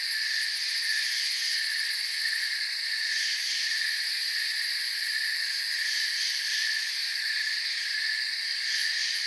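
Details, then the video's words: Forest crickets form a continuous shrill hum of layered high trills that never pause, the whole chorus even in loudness from start to finish. "Forest Sounds and Crickets"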